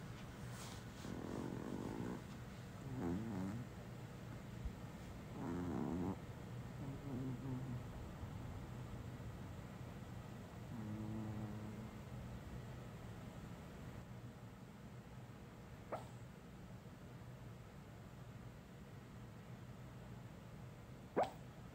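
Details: One of two Chihuahuas (a white male aged 5 or a black female aged 4) snores in its sleep in low, rasping bursts, with a few soft whimpering sleep-talk noises.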